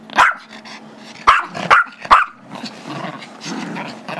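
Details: Gizmo, a five-year-old Chihuahua/Yorkie mix, barks because he wants the squeaky toy held by Tigger, a two-year-old Yorkie; four shrill yaps in the first half, then scuffling play noise.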